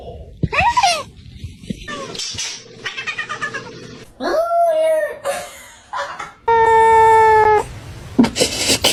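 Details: Domestic cat making strange noises: wavering, bending meow-like yowls rising and falling in mid pitch, broken by gaps, with human speech and laughter around them and a long steady electronic-like tone near the end.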